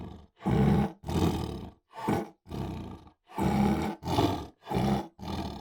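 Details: A tiger roars about seven times in quick succession. Each roar is a deep, rasping burst under a second long, separated by brief silences.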